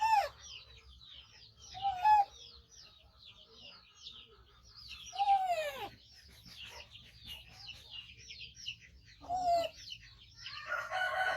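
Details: Five-month-old baby monkey, rescued from a hunter and now kept by its carer, calls loudly while waiting to be fed: shrill, sliding squeals that drop in pitch, four bursts over eleven seconds, over steady high chirping from small birds.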